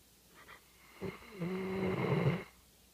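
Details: Labrador Retriever service dog sleeping indoors after a day's work, snoring loudly: one long, harsh, rumbling snore swelling for about a second and a half, with a low droning tone beneath a rasping, breathy texture, ending abruptly.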